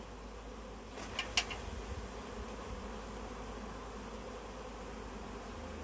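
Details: Swarming honey bees clustered on a tree while being collected into a bag; continuous buzzing drone with a short burst of clattering taps near the start.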